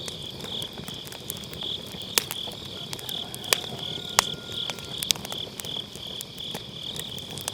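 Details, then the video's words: Grass insects trilling steadily in high, beating pulses on an autumn night, with crackling and sharp snaps from a wood fire in a round fire pit; recorded through a Sennheiser MKE600, low cut engaged. "가을밤 풀벌레 소리"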